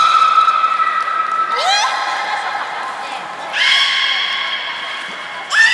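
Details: Beluga during a public training session at Port of Nagoya Public Aquarium, Japan, 4 November 2018, 16:00 show; a steady harmonic tone, then rising whistle-like sweeps into buzzy harmonic calls, with a last upswept call at the end.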